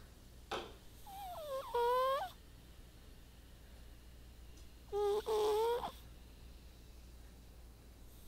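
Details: Snoring white pet cat at rest indoors: two breaths about four seconds apart, each a soft, two-toned whistle that climbs slightly, with faint airy rasp around it and otherwise near silence.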